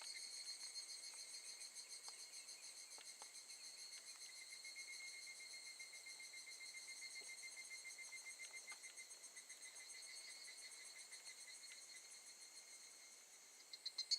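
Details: Several evening cicadas at Gakujin no Mori campsite, Tokushima, Japan, August 2018, forming a continuous high ringing chorus of fast overlapping pulses, with a louder rustle at the very end.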